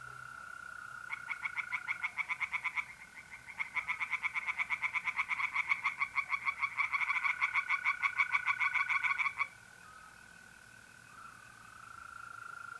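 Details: Pond-dwelling tree frogs calling by night in mid-April, North-East Italy: dense, rapid, clicking pulse trains that overlap as several frogs sing, broken by a brief pause, then fading to the steady trilling of mole crickets.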